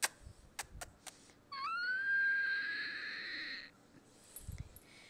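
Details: Siberian Husky puppy acting crazy during play gives one drawn-out whine that rises sharply, then holds a steady, slightly wavering tone for about two seconds. Several sharp clicks come before it, with faint rustling afterward.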